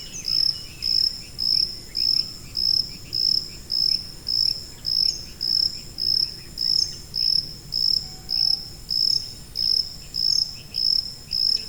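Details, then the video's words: A high-frequency cricket chirps in a long, regular series, about two chirps a second, each a short piercing ringing burst. Faint fainter chirps and a quiet low rumble sit beneath, used as tinnitus masking sound. "고주파_귀뚜라미3 / High-Frequency_Cricket3"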